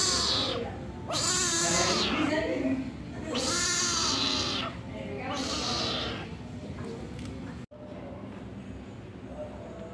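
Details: Kitten angry at being left alone by its mother for a moment, calling loudly in long harsh meows, four strained wailing cries each over a second, about one every one to two seconds, then a quieter stretch with background hum.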